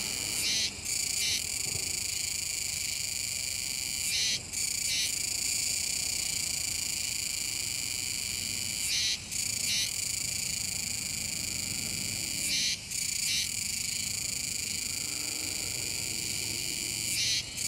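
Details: A dense chorus of Kuroiwa's cicadas buzzes steadily, high and harsh, with brief breaks every few seconds. They are calling all at once near the Kōme River mouth, Nishinoomote, Tanegashima, on 7 September 2022, unwary of passers-by.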